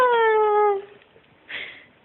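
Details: White Akita up for adoption, giving a clear high whine that slides slowly downward for under a second with rich harmonics, then a brief rougher sound and soft background noise indoors.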